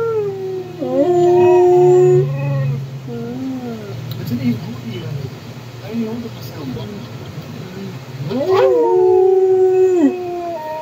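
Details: A dog howling along with another dog: long drawn, wavering howls, a steady one near the start and a second that rises, then holds and falls near the end, with a low droning tone beneath and a quieter stretch between.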